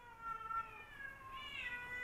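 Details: Domestic male cat in a rivalry with another male cat, a newcomer taken in from the wild: one long, sustained, wavering yowl that holds steady, then rises and brightens near the end, against a quiet room background.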